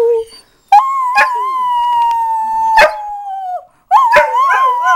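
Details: Blue and Bettina, dogs, rooing back to their mother; one long steady howl holds level for nearly three seconds, then a second wavering howl starts, with short yelps breaking in between.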